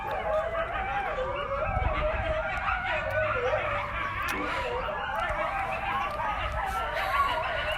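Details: At Akron Zoo, wolves and coyotes howl together in a wavering chorus of overlapping, sliding tones, saying hello. Finding: wolves and coyotes.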